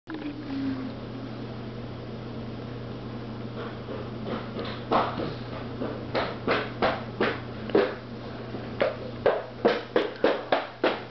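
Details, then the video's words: Neptune, a pet cat, eating a bird: soft rustling at first, then loud rhythmic crunching bites repeated about every half second, growing steadier toward the end. "my cat Neptune eating a bird"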